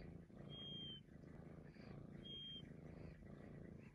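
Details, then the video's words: A continuous low purr from a Maine Coon cat, broken twice by short, clear, high-pitched whistles, the second following the first by under two seconds. "Whistling Maine Coon cat"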